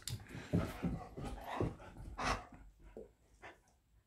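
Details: Old golden retriever, aged 13, and kelpie, aged 14, indoors in a home office, nagging to remind their owner it is time for their walk; low, irregular grumbling woofs and soft whimpers in short uneven bursts, fading toward the end in a quiet room.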